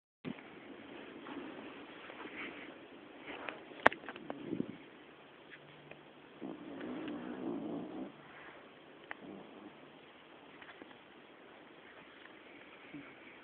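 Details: Connie, a sleeping female pet dog, snores heavily indoors: rough, raspy breaths with a low buzzing tone, a longer grinding snore around the middle, and a few sharp clicks in between.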